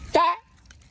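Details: Otter giving a single short chirp, a bright harmonic note rising then bending down, over in about a quarter second, followed by quiet room sound.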